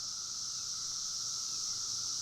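Cicadas produce a steady, high-pitched buzzing drone that continues without a break.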